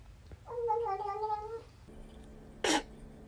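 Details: Domestic cat giving one drawn-out, level meow lasting about a second, slightly wavering before it tails off, followed after a pause by a sharp broadband clatter; quiet indoor background.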